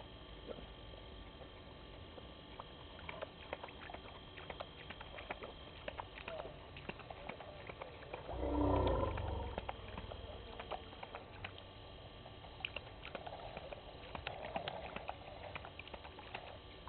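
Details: Two hyenas at Gowrie dam waterhole, Djuma Game Reserve, Sabi Sand Wildtuin, South Africa, filmed by a live waterhole camera at 18:22 on 06/04/19. One short, deep, rough vocal burst near the middle, amid steady soft clicking and patter.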